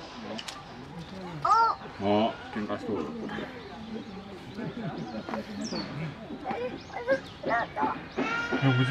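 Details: At Higashiyama Zoo, Nagoya, on 10 Dec 2021, young chimpanzees Karan and Koe fight with shrill, wavering screams and hoarse squeals while adult Akiko mediates; people talk throughout.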